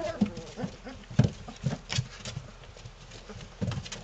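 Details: Three-week-old Belgian Malinois puppies from one litter playing together: low rumbling growls and grunts in short bursts, mixed with scuffling and bumping of the tussling pups.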